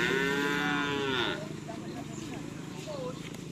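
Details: Madura cattle at karapan sapi racing practice at the Asemanis field in Pamekasan: one loud, drawn-out harmonic moo lasting over a second, wavering slightly, then fading into a muffled murmur of crowd and ground noise.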